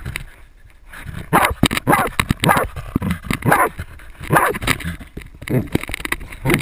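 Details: GoPro-mounted Jagdterrier baying a 250 lb boar: irregular series of rough, strained barks about every half second, with rustling movement noise and a faint human voice.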